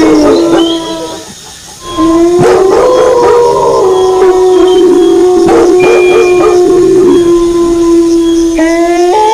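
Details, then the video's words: Wolf howls accompanied by dog barks: after a brief lull, a run of sharp bark and yip bursts cuts through steady overlapping howls, which continue wavering and end with a voice rising in pitch. "Suara Longlongan Serigala disertai Gonggongan Anjing"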